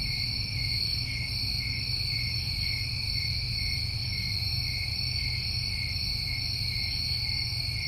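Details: Summertime New England crickets keep up an unbroken, even, high-pitched trill in two layered tones, with a deep low-frequency rumble running underneath throughout.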